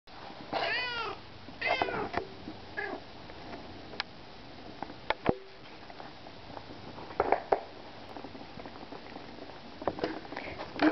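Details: Domestic cats indoors, being given treats; a series of drawn-out harmonic meows, some bending in pitch, comes in quick succession over the first three seconds, followed by soft clicks and taps while a person talks to the cats.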